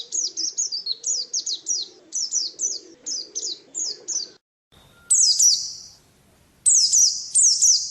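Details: Contest-kept white-eye (pleci) giving a string of high, falling chirps, then a short pause before longer, sustained bright trilled phrases; a faint low hum underneath.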